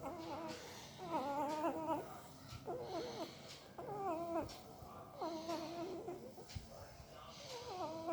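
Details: Puppy making strange sounds while sleeping: about seven short, trembling, cry-like whimpers, each a quick wavering squeal, spaced roughly a second apart in a small quiet room.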